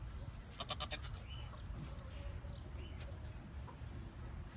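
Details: Nigerian Dwarf goat kid Jazmin lets out a quavering, pulsed bleat about a second long, followed by softer faint cries, all above a constant low background hum.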